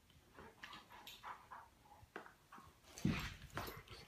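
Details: Two Great Pyrenees play fighting lazily in a living room; low grumbling growls and soft whimpers build to a louder throaty burst near the end, with rustling movement throughout.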